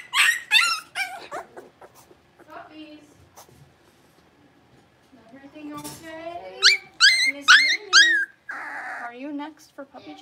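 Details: Blenheim Cavalier King Charles Spaniel puppies, six weeks old, from a litter of five born on New Year's, in an indoor puppy pen. Bursts of high, harmonic yelping whines open the clip and return midway, with low murmuring and human speech between.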